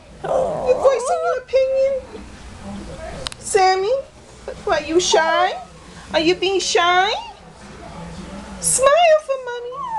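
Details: Sammy, a pet Shih Tzu, complains indoors about a bath and about smiling: drawn-out, wavering, whining vocal glides that rise and fall in pitch, repeated in bursts with short pauses, with a person speaking nearby.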